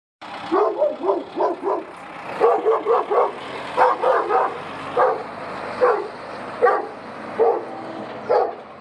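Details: Central Asian Shepherd Dog barking during an attack: deep, rough barks, first in quick runs of two and three, then single barks about once a second, with a faint low rumble in the background.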